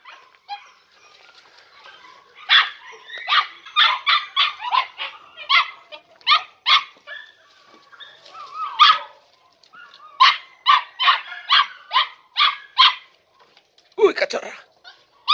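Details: Three-and-a-half-month-old Podenco Andaluz puppies from a four-pup litter, first time in a riding arena, give bursts of sharp, high barks in quick sequences, pausing between bouts, ending with a rising whine.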